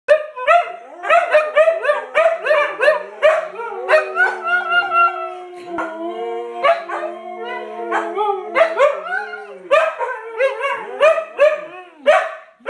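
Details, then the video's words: Several Siberian Huskies howling together, long wavering tones overlapping with sharp yips and rising yelps, voices rising and falling in a noisy chorus with no other sounds. "Siberian Huskies Howling!"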